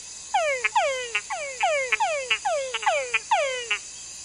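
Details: Túngara frogs calling at night give quick falling whines, each often ending in short clucking chucks, over a steady insect hiss.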